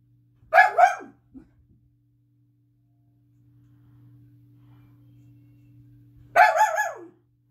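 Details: Pet dog Daisy, shut in a bedroom, barks because she wants out to greet a family member arriving home from work: a quick double bark, several seconds of low hum, then another sharp burst near the end.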